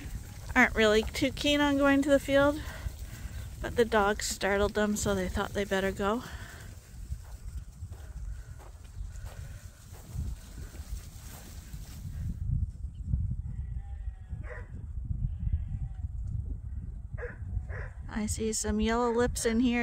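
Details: Sheep at Ewetopia Farms bunched up one morning, waiting to be let out to pasture and fresh grass for the first time this year. Two long, quavering bleats sound early, then a low rumbling lull and another wavering bleat at the end.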